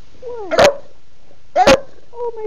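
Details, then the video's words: Female bulldog barking at home on a Sunday to demand her dinner at her usual mealtime. Two short, sharp barks about a second apart, with a thin whining tone before and after, and a woman speaking to her. "Bulldog Betty wants her dinner NOW"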